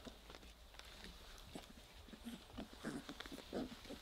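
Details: Weimaraner puppies, three weeks old, growling as they play with each other: soft, breathy little growls and grunts grow stronger in the last second and a half, with steady scrabbling and tapping noises throughout.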